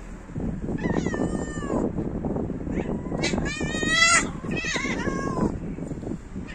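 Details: Male cats fighting over female cats: loud, harmonic-rich yowls that bend and waver, a sharp rising wail near the middle, then dropping, drawn-out moans, over a busy low background murmur.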